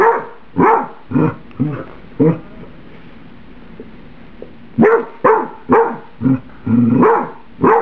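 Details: Domestic dog barking because her microwaved spaghetti is too hot to eat; a quick run of five clipped barks, a quiet gap of over two seconds, then another burst of about six barks.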